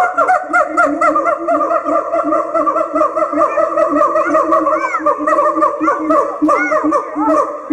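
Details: Siamangs sing in a loud, dense chorus of rapid, swooping hoots and barking notes, a duet by a mated pair that strengthens their monogamous pair bond, amplified by the throat sac.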